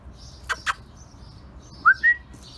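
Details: Female German Shorthaired Pointer puppy, filmed during its first two months from birth. Two quick clicks come first, then a short rising whine and a higher, steadier squeal, all over a quiet, faintly hissing background.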